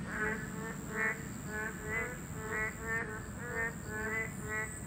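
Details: Boreal digging frogs, protected as a Class II species, calling at their habitat: bleating, reedy calls with rich harmonics, about one a second from several animals, backed by low rumble and a steady high-pitched hum.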